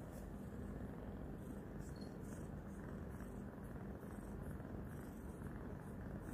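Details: Purring loudly, Roxa the new kitten licks and nibbles a hand; a dense, continuous low rumble fills the whole stretch without pause.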